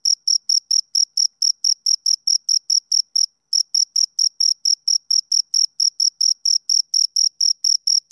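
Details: Two crickets give a fast train of sharp, high chirps, about four a second, pausing once for a moment before the regular pulsing starts again; nothing else audible.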